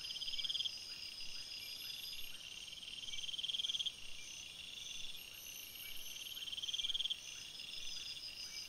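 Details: Nocturnal forest chorus of crickets, with loud pulsed trills every three seconds over a constant high insect hum and faint regular lower chirps.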